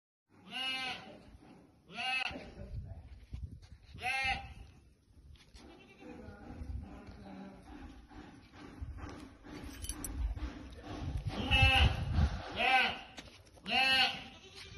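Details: Jamnapari goats, male and female, bleating loudly in wavering, nasal calls repeated every couple of seconds, with a man speaking Hindi urging an animal forward and background rustling.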